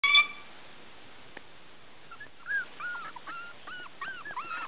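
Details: A female Pembroke Welsh Corgi puppy with a natural, undocked tail, near Tallahassee, Florida, gives a string of thin, high whimpers and yips.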